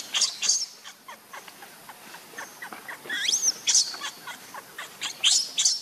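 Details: A fallen baby monkey whimpers in a run of short, shrill squeaks, broken by a looping, warbling cry that rises and dips near the middle, then further piercing squeals toward the end.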